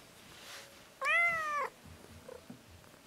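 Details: Domestic cat, annoyed when a massage stops, gives a single drawn-out meow lasting about two-thirds of a second, a clear harmonic tone that rises slightly then falls at the end, over a quiet background.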